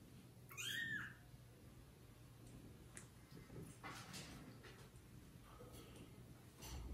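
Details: Domestic kitten meowing for its mother indoors; one short, high, rising-falling meow at the start, then faint rustling and low room hum with scattered soft noises.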